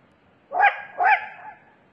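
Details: Wild Asian badger filmed in Korea: a pair of rasping, bark-like calls in quick succession, the second slightly longer and fading out, with a quiet background.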